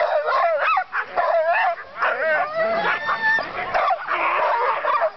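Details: Sled dogs before a dogsledding run, many animals calling at once: a dense, continuous chorus of excited barks, yips and whining howls that overlap throughout with no pause.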